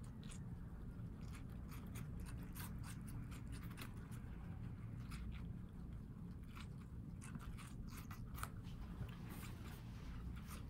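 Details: Watermelon being eaten by guinea pigs living as New York City housepigs; dense, irregular crisp bites and crunches run throughout, with a constant low hum underneath.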